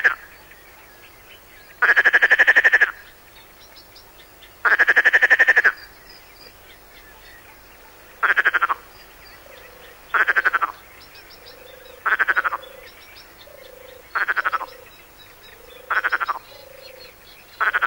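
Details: Perez's frog, a species of the Mediterranean coast, on an educational field recording: short throaty rasping calls like a throat rattle, in bursts about every two seconds, some longer, with faint softer calls of another frog between them.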